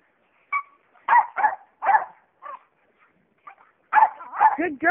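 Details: Jack Russell Terriers playing tetherball, giving a run of sharp barks and yips in uneven bursts, several close together near the end, with a person's voice praising a dog.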